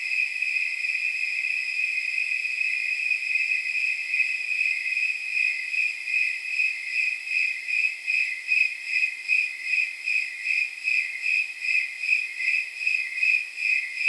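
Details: Chorus of snowy tree crickets at night, about 79 degrees: a high, ringing tone that sounds nearly continuous at first, then breaks into clear, evenly spaced chirps, several per second, like soft jingle bells.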